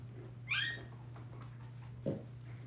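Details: Blenheim Cavalier King Charles Spaniel puppy, one of a litter of five about two weeks old in an indoor puppy pen, gives a single sharp high squeal that rises then drops, followed by a soft thump over a steady low electrical hum.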